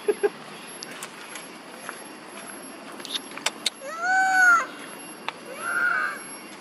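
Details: Monkey mothers Duchess and Queen calling for their missing baby Quinton: two arched, harmonic wailing calls a second and a half apart, the first rising then falling, over soft background noise with scattered clicks and taps.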